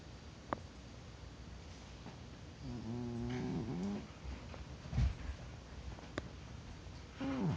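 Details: Dillon the cat snoring in a deep sleep, not waking despite being poked; a low, rasping, harmonic snore lasts about a second and a half mid-clip, with another starting at the end amid soft tapping clicks.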